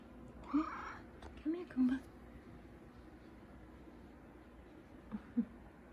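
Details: A big male F2 Savannah cat gives a few short, low meows while a woman speaks softly to him.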